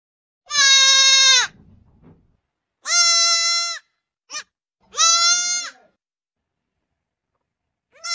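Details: Goat bleating in loud, harmonic, slightly wavering cries of about one second each, three main bleats with a brief short note between, in a quiet setting.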